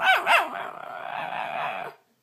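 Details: Domestic dog in a talking-dog compilation lets out two quick high yips, then slides into a steady, drawn-out whining moan that fades after about two seconds.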